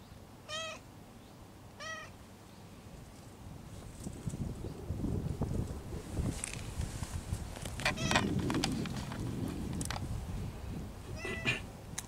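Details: Stray cat giving quiet meows while its lower back is patted; short harmonic mews near 0.6, 2, 8 and 11 seconds, with soft patting and rustling thumps in between.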